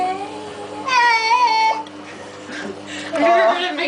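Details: Cat named Baxter being bathed for fleas lets out a drawn, quavering meow with rich overtones, followed by a person's calming talk and a further rising cry.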